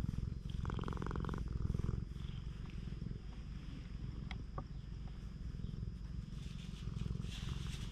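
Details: Stray cat on a cat island in Japan purring under a man's petting hand; deep pulsing purr about two pulses per second, louder at the start, with light rustling and clicks.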